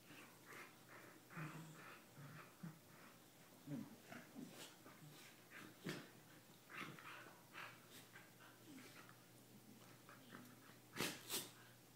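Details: Two corgis indoors playing and kissing: rapid breathy snuffles and snorts in irregular bursts, mixed with low soft grunts and a few whimpery noises, with a sharp louder snort near the end.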